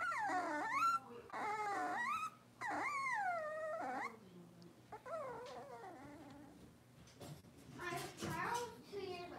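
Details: Blenheim Cavalier King Charles Spaniel puppies, six weeks old, in an indoor puppy pen: long, loud, wavering whimpers with rich harmonics, three drawn-out cries early, then softer fluttering whines and a brief burst near the end.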